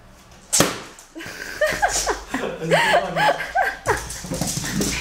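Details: Female Jack Russell Terrier playing with balloons, giving a run of high, arching whiny yips, about six in three seconds, bending up then down, after a sharp thump near the start.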